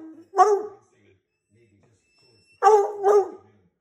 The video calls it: Wonderful sounds of a redbone coonhound yelling at you